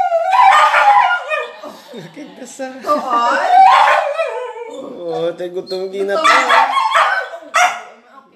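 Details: A Border Collie 'talks' over her favorite chicken in a food review: continuous wavering howl-like vocalizations, rising and falling in long harmonic phrases about every three seconds, with speech mixed in.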